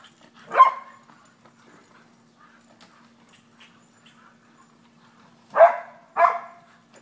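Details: Two English Springer Spaniels, Ellie and Booker, bark at a squirrel tormenting them in the yard; one sharp bark early, then a pause and two quick barks near the end, with faint background hum.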